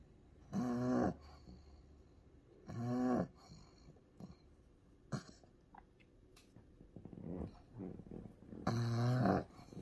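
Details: Pug named Ku-chan, a sick dog in the grip of a strong seizure and later given anti-epileptic medicine through the nose: three harsh, voiced groaning breaths of about half a second each, widely spaced, with faint clicks and rustling between them.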